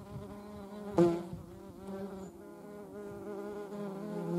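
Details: Buzzing European hornet, filmed with median wasps nearby: a steady, low, wavering hum with many overtones, one sharp knock near the first second, and the drone slowly growing louder toward the end.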